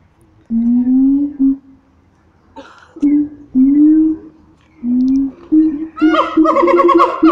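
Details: Siamang apes in full voice at Taronga Western Plains Zoo. Deep, slowly rising booms repeat several times, then a burst of shrill, warbling shrieks breaks in at the end.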